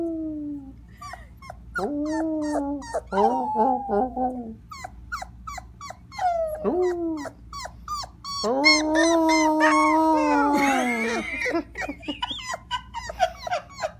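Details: A tired Cocker Spaniel puppy, at night after a long ride, howls for the first time, giving high, wavering howls broken by short yips.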